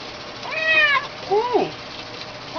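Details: A kitten being given a bath gives two meows: the first a fairly high, even cry, the second shorter, lower and bending downward.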